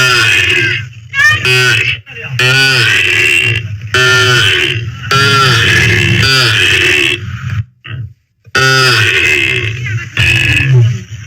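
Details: A calf moos loudly and repeatedly: a run of hoarse, drawn-out bawls with brief breaks between them, including one longer silence near the end.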